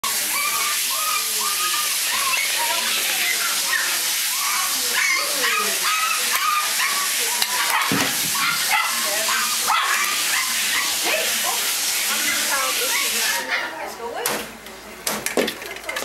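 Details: Akita, Husky and wolf hybrid mix puppies playing together, giving a dense, overlapping stream of high, short yelps and whiny squeals, several at once, with scuffling throughout; the chorus thins out near the end.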